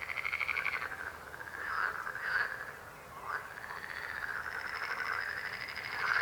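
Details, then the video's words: Chorus of croaking frogs, with rolling, rattled calls of mid pitch overlapping almost continuously. The calls swell and fade in waves, with a brief lull near the middle. "Rechot żab. Croaking frog sound."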